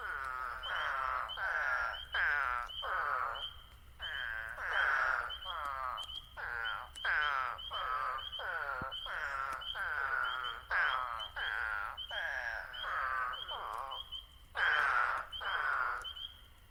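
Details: Eastern spadefoot toads calling in the New Jersey Pinelands: overlapping nasal, buzzy 'waaah' calls, each about half a second long, repeated almost continuously, with a steady high thin peeping of spring peepers in the background.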